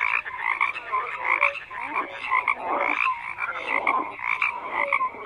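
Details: A thick chorus of frogs croaking, with buzzy trilled calls layered over one another, surging every second or so, plus a few brief sliding notes cutting through the din.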